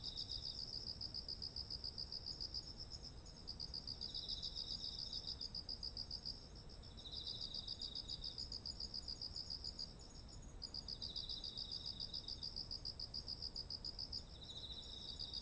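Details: Autumn insects beside ripe, heavy-headed rice fields, recorded on a ZOOM H1essential: rapid pulsed chirping in bursts of a few seconds with short gaps, over a steady high shrill trill and a second quieter chirping caller.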